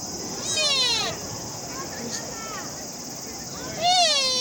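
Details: Sika deer in Nara Park calling twice, each a clear, high, harmonic whistle-like cry that slides downward over about half a second, with a low background hiss between calls.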